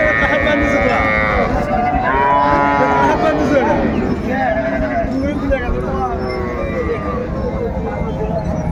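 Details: Lowing cattle at Raniganj haat market, Dinajpur, where cows with calves are sold on 30 May 2024; a few wavering moos overlap with talking buyers and steady crowd noise.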